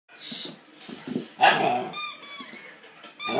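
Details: Alaskan Malamute puppy scared of a squeaky toy gives a short, sharp bark between high, whistling squeaks from the toy.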